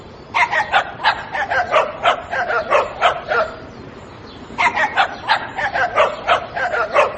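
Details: Little dog yapping in rapid, evenly spaced high barks, a steady run of about a dozen, a brief pause, then another quick burst of similar sharp yips.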